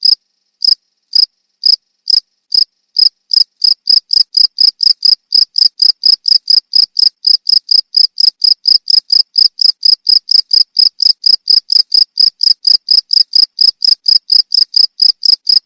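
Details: Cricket used as a tutor sound for songbirds: high, crisp chirps, widely spaced at first, then speeding into a steady rapid series about four per second, with a clean, quiet background.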